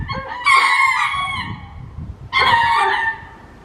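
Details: Two separate harmonic cries from ring-tailed lemurs calling in courtship at Hitachi Kamine Zoo, Japan, each lasting under a second, spaced about two seconds apart over a low murmur.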